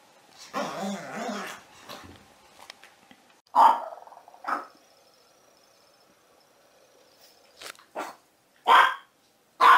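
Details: Puppy barking: a wavering whine-like sound first, then two sharp barks about a second apart, a pause, and three more high, punchy barks closing out the stretch.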